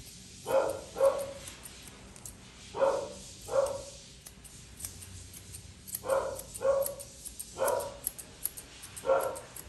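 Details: During grooming, a Poodle mix barks in repeated pairs, about eight sharp yaps spread evenly across the recording, with light scissor clicks in between.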